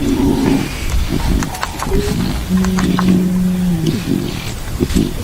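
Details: Hungry lion cubs of the Rongai pride in Kenya's Maasai Mara National Reserve, near where the pride had eaten a zebra, give short, low moaning mews and one longer drawn-out call.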